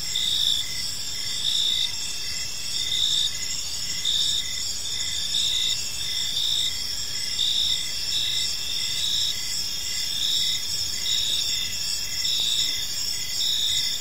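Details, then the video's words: An evening park chorus of crickets: unbroken shrill trilling with steady beats swelling just under once a second, a lower pulsed tone repeating alongside, soft ambient hiss. "Park Serenade: Cricket Sounds in a Peaceful Park | Evening Ambience"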